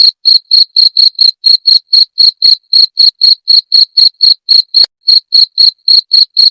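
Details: Cricket, played to drive away rats, gives bright, high chirps in a quick steady series of about four per second, briefly pausing just before the five-second mark and then resuming.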